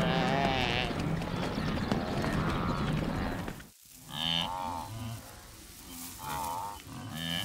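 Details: Wildebeest from a migrating herd of millions on the hot African plains, giving nasal, moo-like grunts with a deep undertone, several in a loose series in the second half. A dense, rumbling herd din fills the first half.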